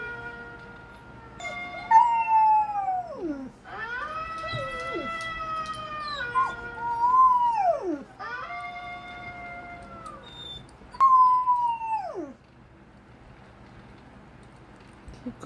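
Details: A female Golden Retriever howls in long, wavering tones that swoop and drop away at the end.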